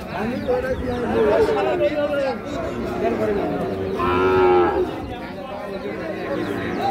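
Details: Lowing heard among Sahiwal bull calves for sale at Ambari market, Dinajpur, Bangladesh: a drawn-out wavering moo early on, then a second stronger tonal moo, over constant chatter of buyers and sellers.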